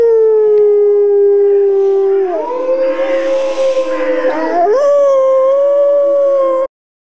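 Wolves howl in long, smooth, drawn-out tones, with a second voice joining partway through.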